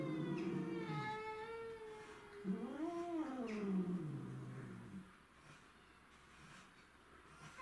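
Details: Domestic shorthair cats in a territorial fight, with Tom, Mimi and a grey-and-white stray: a steady low howl, then an arched yowl that climbs and sinks into a groaning tail before fading to near quiet.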